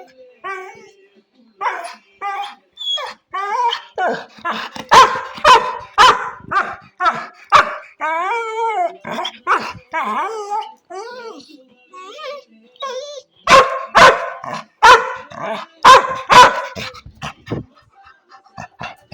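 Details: Labrador retriever pet dog giving bursts of sharp barks mixed with whiny, wavering yelps and moans, loudest in clusters around the middle and near the end, with quiet gaps between.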